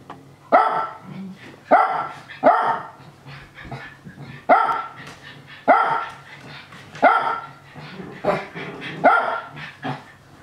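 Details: Japanese Spitz Nana barking happily while younger dogs Ruru, Miru and Meru play-fight; sharp single barks at irregular intervals, about eight in ten seconds, with softer scuffling and growly sounds between them.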